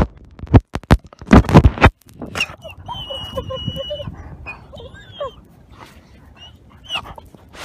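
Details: Ten-month-old captive-born gray wolf Nikai, an ambassador wolf at the Wolf Conservation Center, South Salem, New York, chomping a camera: loud crunching bites for two seconds, then a thin, steady high whine with short squeaky notes.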